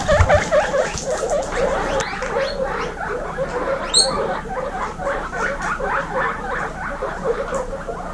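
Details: Baby guinea pigs, part of 26 females kept together, chatter in overlapping squeaks, one bright rising whistle near the middle, bumps and rustle in the background.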